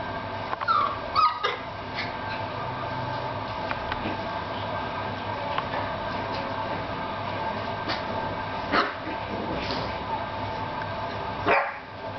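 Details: Puppies named Paris and Mocca; a brief rising whine near the start, then a few faint squeaks and soft knocks over a steady low background hum.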